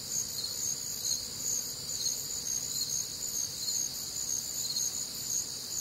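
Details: Nocturnal cricket chorus from a humid Midwestern summer night: thin, very high continuous trilling in two stacked layers, gently throbbing about twice a second, with nothing else prominent.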